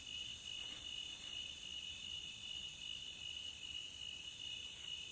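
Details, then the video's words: Beachside cricket chorus, meant for relaxation, made of unbroken shrill, tonal chirping held at a constant pitch. Short brighter bursts high above it come at roughly one and a half second gaps. "Cricket Sound at the beach to Relax with"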